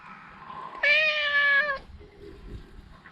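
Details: Talkative stray cat giving a single long, loud, steady meow lasting about a second, followed by faint low background noise and quiet rustling.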